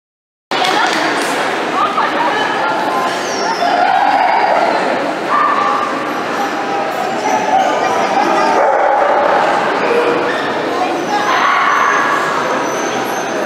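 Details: Miniature dachshunds giving a loud, dense chorus of overlapping whines and yips, with thin sustained tones sliding around the mid range, steady throughout after a brief silent start.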